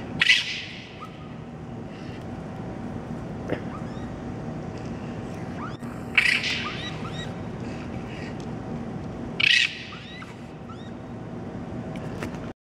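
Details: Toronto raccoons fighting while their babies cry, recorded at night on May 12: three sharp screeching outbursts spaced several seconds apart, scattered thin rising squeaks between them, and constant low background hum.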